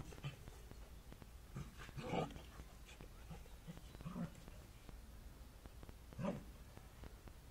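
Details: Two Cardigan Welsh Corgis, black James and brindle Jojo, playing together in a home garden; three short, harmonic, throaty bursts arrive about two seconds apart over a steady low rumble, with faint scuffling between them.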